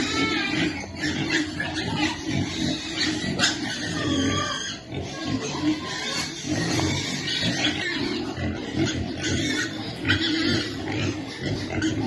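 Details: Piglets waiting to be fed, giving a dense, continuous chorus of low grunts broken by short, high, tonal squeals throughout.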